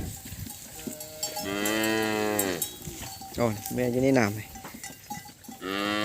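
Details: Calves bawling after losing track of their mothers, many calling at once: drawn-out harmonic moos, one long cry near the middle then shorter overlapping wails, with a steady faint tone in the background.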